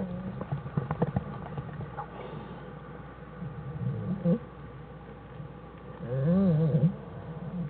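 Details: Den of American black bear Jewel and cubs Fern and Herbie on January 1, 2013, Wildlife Research Institute study; soft scuffling and low murmurs, then a brief wavering, warbling tonal call rising and falling near the end.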